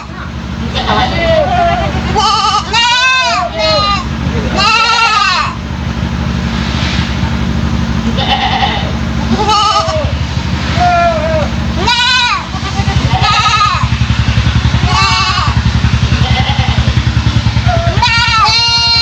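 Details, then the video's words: A three-month-old goat kid with an unusual voice that drew the attention of local residents, bleating repeatedly in wavering, rising-and-falling cries, some strained and nasal, over a steady rhythmic engine-like hum. "Anak Kambing Bersuara Aneh || Suara Kambing Beda Dari Yang Lain"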